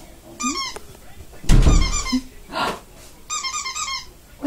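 A Shih Tzu gives high, squeaky yaps and short sharp barks while a person talks to it.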